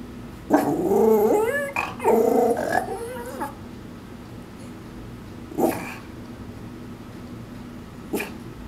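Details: A Shih Tzu Maltese mix dog in a backyard warbling in protest at something outside: wavering, rising and falling growly yodels in two long bursts, followed by a few short sharp yips.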